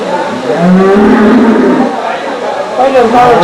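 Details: Desi cows at the Saturday cow market in Chakan on 3 January 2026: a low, drawn-out moo swells for over a second, then fades, heard through constant crowd chatter and men talking nearby.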